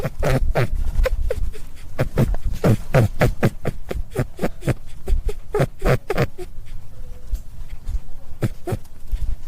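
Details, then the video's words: A rabbit makes quick, harsh puffing grunts in dense, uneven bursts for about six seconds, each pulse short and noisy with a low thump beneath, followed by sparser scattered clicks and a quieter tail. "Som do coelho,Barulho de coelho"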